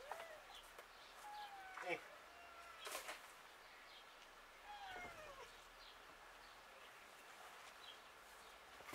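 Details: A cat, filmed outdoors, gives two drawn-out, falling mews about four seconds apart over soft outdoor ambience, with a few sharp knocks and a person talking nearby.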